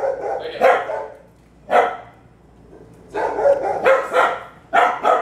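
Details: Dogs bark near Waylon, a three-year-old Bulldog mix, during a private obedience training session: loud, sharp barks in short bursts, a single bark near two seconds, then rapid doubled and tripled barks toward the end.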